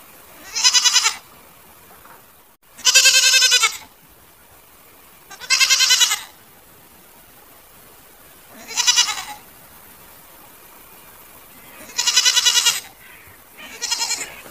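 A goat bleats repeatedly, each harsh, quavering cry lasting under a second, every two to three seconds.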